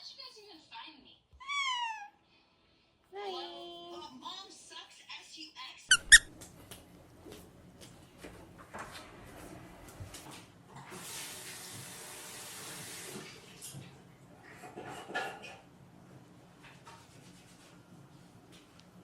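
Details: Pet cat during a wash, opening with a quick series of short, high, falling meows, then a longer wavering cry; later a rush of spraying water and a few voices in a small indoor room.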